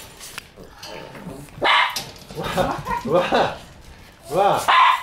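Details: On the morning white Shiba puppy Tsubaki, born 22 December, leaves, several short, high barks and yaps burst out in uneven bunches, mixed with people talking nearby indoors.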